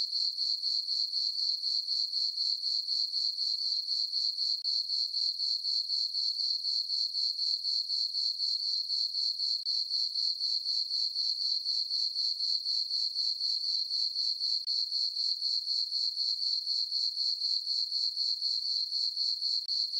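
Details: Crickets chirping at night in a meadow on a farm under a full moon on a summer night: a steady, high, ringing chirp pulsing about four times a second without pause, with no other sounds.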